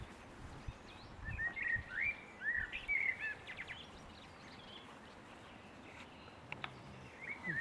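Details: Litter of Boston Terrier puppies at six weeks, a string of short high-pitched whimpers and yips clustered in the first three seconds, then mostly background hiss with one last faint squeak at the end.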